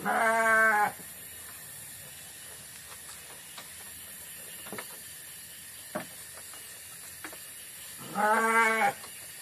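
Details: Garut sheep grazing in forest on a mountain peak at Geger Bentang, South Ciamis, Indonesia, gives two rich harmonic bleats about eight seconds apart, each under a second long, with faint rustling and soft clicks in between.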